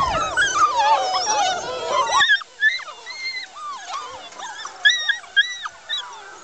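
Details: Old English Foxhound pups being woken for their afternoon feed whimper and squeal in high, wavering cries, many voices overlapping.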